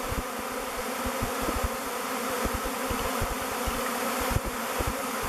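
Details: A swarm of thousands of honey bees circles a log hive, Bee Beard, chosen as its new home; continuous layered humming of many wings, with brief louder buzzes as single bees fly close.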